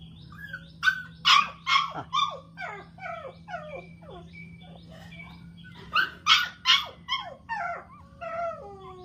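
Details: A newborn dachshund puppy squeals and whimpers in two bursts of rapid high, wavering cries, some sliding downward, with a steady low hum underneath.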